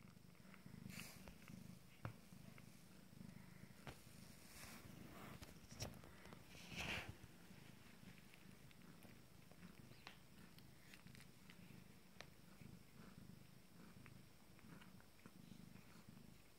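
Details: Abyssinian kittens from a first litter, 19 days old, nursing; a steady, low rumbling purr runs unbroken throughout, with soft clicks and small shuffling noises scattered over it in a quiet room.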